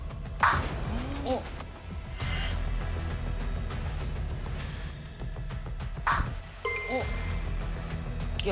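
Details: Speech and background music with a few thuds and sound effects, and no clear animal sound. A dog may feature in the scene, but none is heard.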